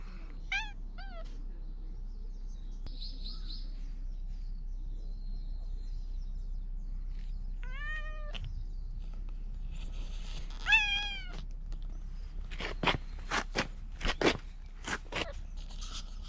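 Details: Loud stray cat among Fukugi trees in Bise, Okinawa, Japan, seeming to plead about something, recorded with a GoPro 9: short chirpy meows early, then two longer descending meows, followed by several sharp clicks and knocks.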